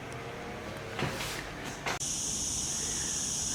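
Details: A wild olive cicada (Cicada barbara) in summer in Andalusia, southern Spain, in a city park, gives a high, dry buzz that sets in abruptly and runs on steady and unbroken.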